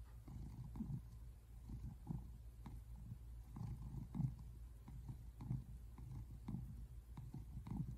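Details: Tabby American Shorthair cat relaxing on the couch at home, February 8, 2024, purring continuously; deep, throaty vibration rising and falling in even waves about every half second to a second.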